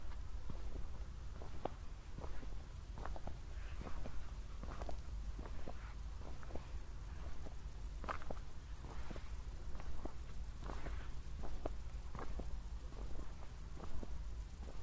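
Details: Crickets at night in Zwettl, Austria, shortly after a thunderstorm: a steady stream of very high, rapidly pulsed chirps runs throughout, under the crunch of footsteps from someone walking.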